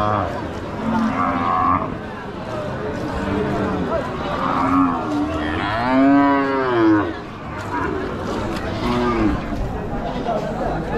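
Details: Cows at a busy village cattle market give several drawn-out, deep lowing moos, one loud arching bellow near the middle with rich harmonics, over a constant background of crowd chatter and market noise.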